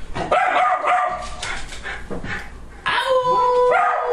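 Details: Dog making short yips and whines that lead into a sustained, smooth howl near the end, with a slight upward lilt as it finishes.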